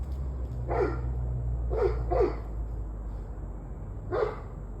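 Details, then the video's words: Dog barking on 21 November 2023 at 7:06 pm: four short barks, two of them in a quick pair near the middle, over a steady low hum and a faint thin high whine. "Barking Dogs"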